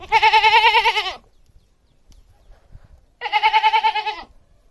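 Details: Two quavering goat bleats, each about a second long with a pronounced tremolo, separated by a two-second pause of near silence.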